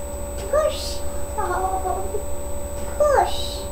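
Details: Sasha, a pet cat, giving birth to three kittens on May 14th 2011: two drawn-out meows that rise then fall, about two and a half seconds apart, with a person talking quietly between them over a steady electrical hum.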